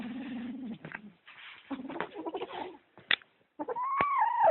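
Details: Sock-possessive kitten growls low and continuously, with scuffling noises in between, then ends on a higher, wavering yowl that rises and falls.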